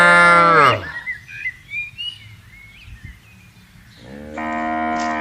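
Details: Cattle roaming and grazing on a wide pasture during routine herding: a loud, low, rich moo opens and quickly fades, then after a quiet gap with faint chirping birds a second steady, sustained moo begins and carries to the end.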